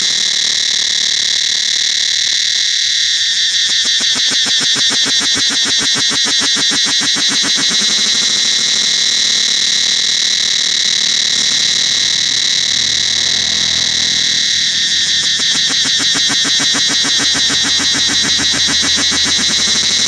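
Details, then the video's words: Cicada chorus in the forest around Angkor Wat temple, a dense, unbroken metallic buzzing drone with a fast throbbing pulse running almost throughout, briefly easing near the three- and fifteen-second marks. "Listen to the sound of Cicadas throughout the forest of Ankgor Wat temple"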